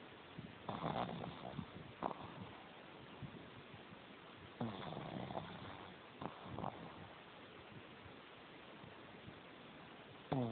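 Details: Sleeping pug Jemma, tongue hanging out and eyes open, gives rough, breathy snores in uneven bursts, several clustered breaths then a pause, ending with a brief whistling wheeze.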